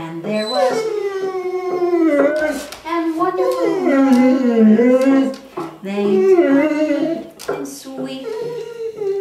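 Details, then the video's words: Ten-year-old female Curly-Coated Retriever singing nightly with her owner, "Till There Was You" indoors; long, wavering howls rise and fall over the person's lower singing voice, the two voices overlapping in drawn-out phrases with brief pauses. "the singing dog - Curly-Coated Retriever"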